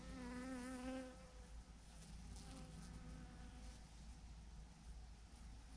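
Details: Thousands of honey bees clustered on a branch: a loud, close buzzing fly-past opens, then a lower continuous hum of the swarm with softer passing buzzes.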